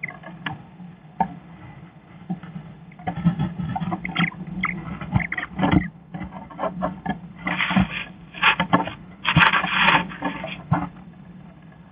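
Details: Irregular rustling, scraping and tapping over a steady low hum, with no clear animal call.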